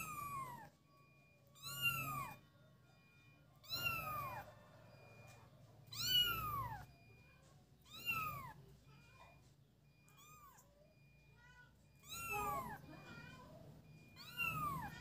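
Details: Kittens at play meowing repeatedly, about eight high descending mews every two seconds or so, with some softer short mews mixed in and a low steady hum underneath.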